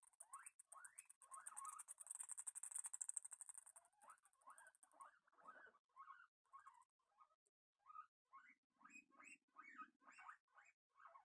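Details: Several guinea pigs at feeding time give bursts of short upward-sweeping squeaks, tightly packed at first over crunchy chewing noise, then spaced out into separate squeals near the end.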